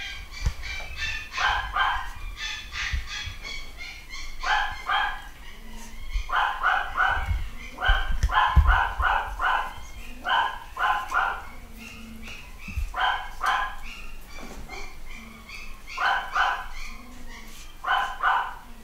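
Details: A new litter of nine-week-old Malshi puppies, boys and girls, at a UK breeder. High-pitched yips and small barks come in quick clustered bursts, several per second, overlapping as though from more than one pup, over low thumps and handling noises.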